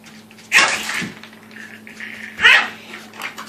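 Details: Puppies indoors: two short, harsh yelping barks about two seconds apart, with a faint steady hum in the background.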